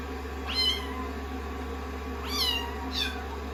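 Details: Several rescued kittens, sixteen days into a growth record, seek affection on a lap during drying after a shampoo. Three thin, high-pitched meows rise and fall over a continuous low droning hum.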